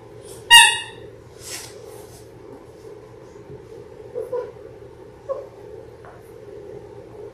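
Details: Labrador Retriever puppies, six weeks old, one of a litter of six born January 18, 2022, filmed indoors on a live puppy cam on February 28; one sharp high harmonic yelp, then a few faint squeaks over a constant background hum.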